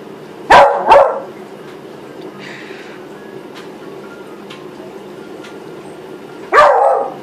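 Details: Excited by a brush, Molly the Beagle gives a quick double bark, falls silent for about five seconds, then lets out one more forceful bark.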